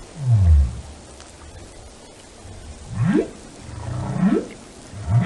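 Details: A whale's deep descending moan, then a pause and three sharp rising swoops climbing from low to mid pitch, set against constant ocean hiss.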